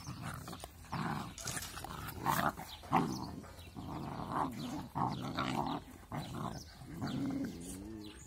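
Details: Two angry-sounding puppies at play, growling in rough, throaty bursts that rise and fall, some longer grumbles and brief higher yelps, with scuffling in the background.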